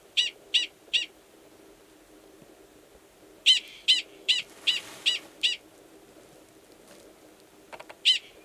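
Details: Sharp repeated yips from a wild male Gunnison's prairie dog calling to an estrous female underground, recorded March 2017 in New Mexico's Valles Caldera National Preserve. Three quick barks, a pause, a run of six, then one more after a longer gap.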